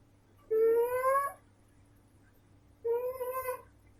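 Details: Pet cat, a female, snoring in her sleep: clear whining tones that rise slightly through each breath, about 0.8 seconds long and roughly 2.3 seconds apart, with a soft constant background hum.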